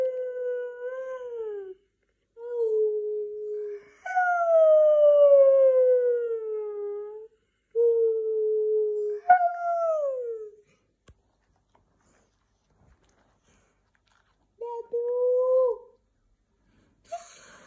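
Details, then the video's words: White husky talking in long, mournful howls that drift and fall in pitch, some starting higher before sliding down, with pauses between them. A brief short howl follows a longer silence near the end. "Talking white husky"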